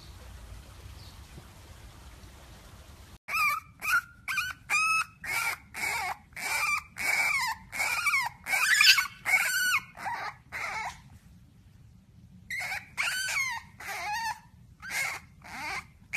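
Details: French Bulldog puppy whining in rapid, repeated squeaky yelps, each a short wavering cry, in a long burst after three quiet seconds, a brief pause, then more whimpers; a man's praise follows.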